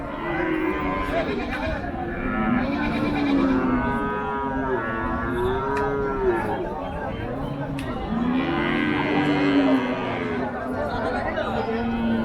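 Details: Cattle at the Paragram cattle market on 7 December 2024; several long arching moos, some overlapping, rising then falling in pitch, repeated through the stretch amid loud crowd chatter and talk.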